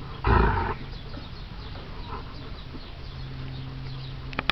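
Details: Alaskan Malamute puppies, four weeks old, tussle together in rough play; one loud, harsh half-second growl-bark bursts out near the start, followed by quieter shuffling and a low background hum.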